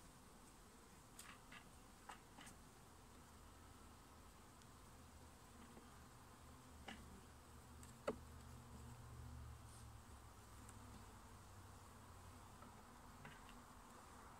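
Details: Honey bees at a residential beehive in Nova Scotia, Canada, during a hive inspection by a beekeeper. A steady low droning hum runs throughout, with scattered sharp clicks and knocks from handling the frames.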